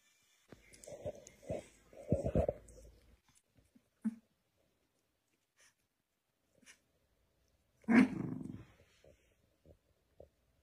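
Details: Black and white dogs fighting: short growling snarls in a quick cluster, then near silence, then one louder snarling burst, with small clicks and scuffles between.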